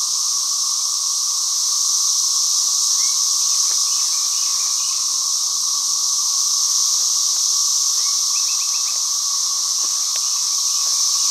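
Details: Emerged cicadas near ground holes give a relentless, piercing high buzz, perfectly steady in loudness, with a quieter underlying tone and occasional faint short chirps in quick series.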